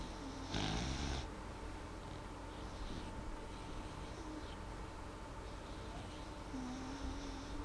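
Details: A sleeping dog, Molly, gives one strong breathy snore near the start, followed by softer, fainter breaths against a steady low hum.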